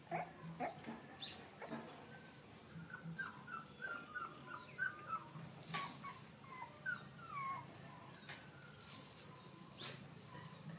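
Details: Baby puppies standing up to suckle milk from their mother dog give short, high squeaky whimpers, rising and falling, scattered steadily across the stretch, with soft rustling and faint low hum beneath.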